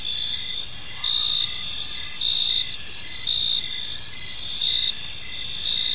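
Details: Several crickets chirp through a calm evening in a park, a sustained high buzzing trill punctuated by regular chirp pulses close to once per second, steady in volume.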